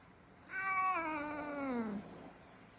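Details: A black long-haired male cat named Jack, about three years old, a rescued house cat, gives a single drawn-out meow that holds steady and then slides downward, lasting about one and a half seconds in a quiet room.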